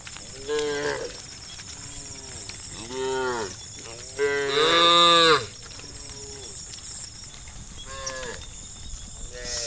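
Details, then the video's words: A herd of tame cows being herded toward a field in golden morning light moo to each other in long, arching, harmonic-rich overlapping calls, one loud and drawn out, over a steady hiss of insects or wind. "the sound of mmoo cows calling their friends"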